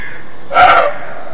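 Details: A roe deer in Mecklenburg-Vorpommern, eastern Germany, gives a single hoarse, gruff alarm bark ("Schrecken") on an icy-cold, clear, sunny day.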